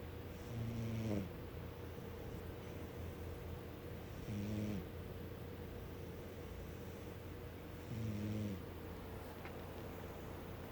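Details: Domestic cat named Snagglepuss snoring while asleep: three low, harmonic snores about every 3.5 seconds, each a short rasping breath with a slight downward slide, over a steady faint background hum.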